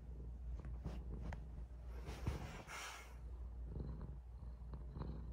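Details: Cat giving a person kisses, purring close up: an even low rumble that continues throughout, broken by brief rustling and breathy noises near the middle.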